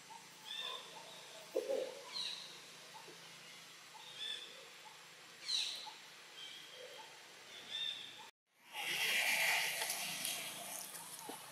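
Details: Baby macaque in Siem Reap Province, Cambodia, crying loudly to call its mother for help while another monkey plays roughly with it: short, high, thin whistled cries repeated every second or two, then a loud burst of broad rushing noise.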